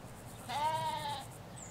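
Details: A ewe or lamb bleats in a Hampshire countryside sheep field, recorded with a stereo mic along a hedge: a single clear, quavering bleat lasting under a second, slightly rising then falling, against quiet rural background hiss and a faint bird note.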